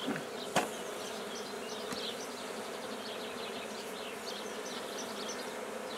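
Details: Newly established black bee colony at Guernay, Côtes-du-Nord, France: an even buzzing hum, two sharp knocks early on from handling, and faint bird twitters behind.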